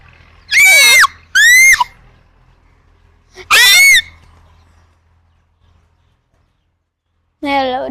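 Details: Chimpanzee pair fighting: three loud, shrill, piercing screams in quick succession, each rising then falling, followed after a silent pause by a lower, rough wavering cry; faint low hum in the background.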